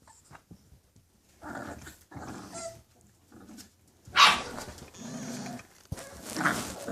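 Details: English Bulldog puppies growling in short rough bursts with a sharp yelp near the middle, broken by quiet gaps, indoors.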